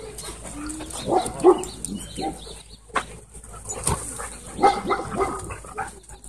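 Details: Two Siberian Huskies in a rough play fight at a dog park trade short growly barks and grumbles, with bursts at about one and four and a half seconds, over background chatter from people.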